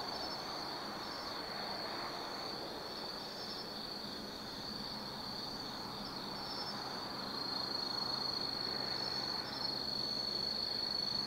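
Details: Night chorus of autumn insects in the Tsukimi no Mori forest, Kaizu, Gifu Prefecture, Japan, above the lit Nobi Plain; a continuous high trilling band with quick pulses, with a low rumble of traffic swelling near the end.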